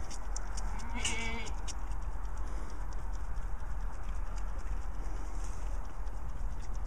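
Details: Goat kid that lost its mother two days after birth, being bottle-fed milk by hand; a single short, wavering bleat about one second in, over a steady hum and fast, continuous clicking.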